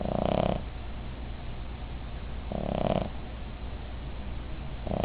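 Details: Loud snoring from Midge, a sleeping female Cavalier King Charles Spaniel: harsh rasping snores roughly every two and a half seconds, with a faint low hum between breaths.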